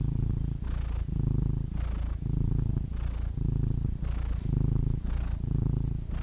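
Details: Close-up purring of a domestic cat: continuous low throaty vibration swelling and easing with slow breaths roughly once a second, six breath cycles, nothing else audible.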